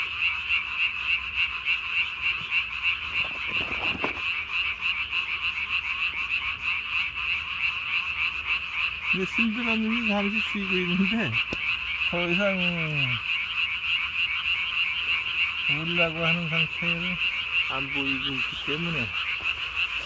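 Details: Night recording of Japanese tree frogs, 3 May 2020, each calling with a throat sac swollen to body size. A constant shrill chorus fills twenty seconds, with a sharp click early on and several groups of lower warbling croaks in the second half.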